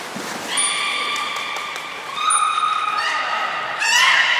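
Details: Belugas Nana and Niko training at Port of Nagoya Aquarium on 7 October 2018: steady, drawn-out harmonic whistles, one held for about a second and a half, then a second long tone and a rougher burst at the end.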